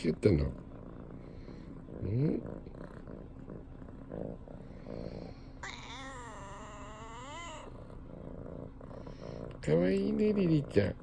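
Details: Female tabby cat meowing while gazing up at its owner; short low rising-and-falling meows near the start and end, a longer higher wavering call in the middle, with faint background hum.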